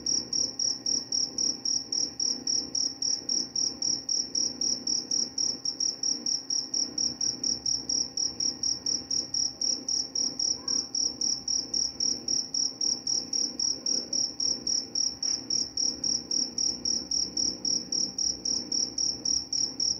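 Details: Long run of cricket chirping, used as a lullaby and a mouse repellent; piercing high pulses in a fast, steady beat near four per second, a faint click around fifteen seconds, soft background hum.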